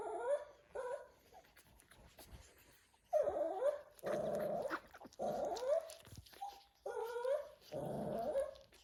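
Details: Shih Tzu puppies and their father indoors on Thanksgiving, the father whining in the background: bursts of high, bending whines and squeaky whimpers separated by short pauses, with some low growly notes.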